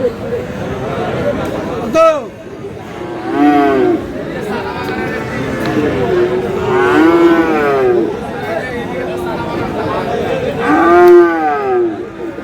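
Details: At the Aftabganj cattle market in Dinajpur, Bangladesh, young Friesian and crossbred bull calves are up for sale. Several arching moos come a few seconds apart, some overlapping. Men haggle in Bengali throughout, against a busy market murmur.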